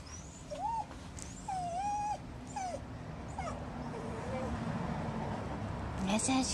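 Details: Shiba Inu named Kuri crying out after chasing Choco and taking a cat punch: a string of thin, tonal whines that rise and dip, some drawn out, others short and hooked, over a faint room hiss, with a brief voice near the end.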